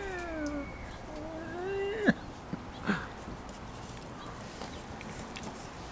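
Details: Six-week-old Cavalier King Charles Spaniel puppies, five in all, romp on a deck with their mother Diva; a thin tonal whine slides down, then a second rises steadily, followed by two sharp knocks over low background hiss.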